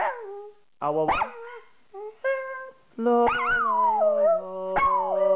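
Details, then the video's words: Mika, a female Jack Russell Terrier cross Yorkshire Terrier, singing along as a person sings a tune: drawn-out howled notes that slide up and down, broken by short gaps, over sustained melodic tones and the person's repeated 'au au' singing. "mika the singing dog"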